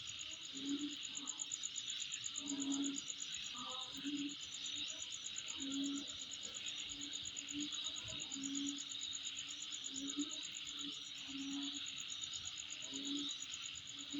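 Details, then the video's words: Insects heard at a home: an unbroken high-pitched buzzing chorus with a quick pulsed trill on top, and short low hooting notes recurring roughly every one to two seconds throughout. "Sound Of Insect In My Place"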